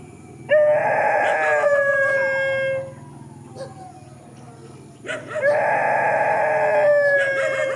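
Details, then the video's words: Countryside dogs in a field give two long, steady, even-pitched howls, each lasting over two seconds, with a lower, quieter gap between them and a faint background drone. "Countryside dogs facing each other in the field"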